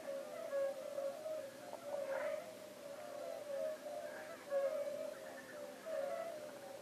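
European fire-bellied toads give soft, low, hollow 'oop' notes, repeated in a steady, mournful chorus.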